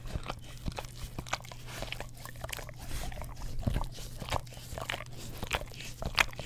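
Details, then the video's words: Close stereo recording of an English Cream Golden Retriever licking an Orapup tongue cleaner brush; softer, scattered wet smacks and tongue clicks, uneven in spacing, with a low background hum throughout. "Dog Licks Orapup Tongue Cleaner Brush - 1 Hour - English Cream Golden Retriever"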